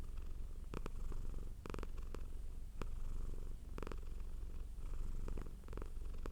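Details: Domestic cat purring softly yet steadily, a rhythmic low rumble with gentle rises and falls in loudness, punctuated by a few sharp clicking sounds.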